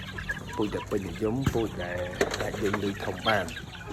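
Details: Fighting-breed chickens in a breeding flock: rapid, uneven runs of harmonic clucks and a drawn-out cackle near the middle, several birds calling at once over steady chatter and speech.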